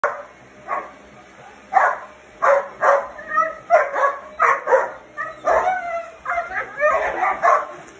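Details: Old English Sheepdog puppies battling a vacuum cleaner they dislike, giving a rapid series of short, high yapping barks roughly every half second, with a woman's voice mixed in and a faint steady hum behind.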